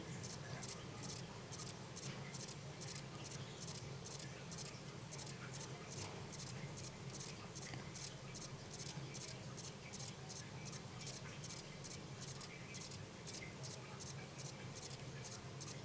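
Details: Short-winged form of the himegisu katydid, kept in captivity in 2012, producing dry, high-pitched buzzy pulses repeated steadily at about three per second throughout, over a low indoor hum.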